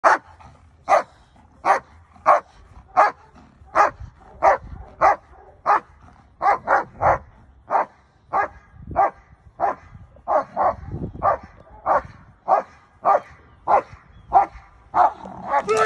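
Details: Migo, a male black German Shepherd home protection dog, barking during a handler protection exercise: sharp, loud barks repeated roughly every half second to second in steady runs, with a brief pause near six seconds.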